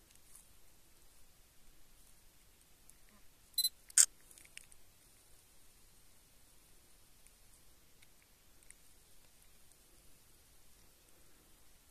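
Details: A faint, steady hiss fills most of the recording. Two sharp clicks like a camera shutter stand out near the four-second mark, and no animal voice is heard.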